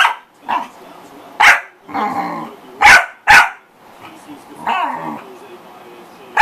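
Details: A corgi makes loud single barks and short doubled barks, mixed with rougher, drawn-out vocal noises and possible background voices, over a few seconds.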